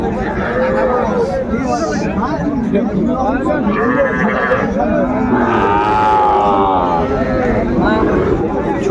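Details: Small bull and heifer calves at a Mymensingh cattle market on 14 January 2025. Human speech dominates the opening, then a drawn-out, wavering moo and a couple of shorter calls rise above the crowd noise.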